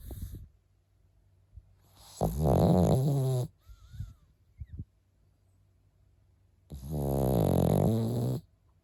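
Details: Milk, a Pekingese, snores heavily, with long buzzy rumbling breaths around three seconds apart, each swelling and holding steady for over a second, and quiet snuffles and soft breathing noises between them.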